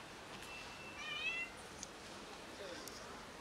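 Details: Cat from a neighborhood family fed daily by locals gives one short meow, a clear harmonic, slightly wavering tone lasting about half a second, over steady quiet background hiss.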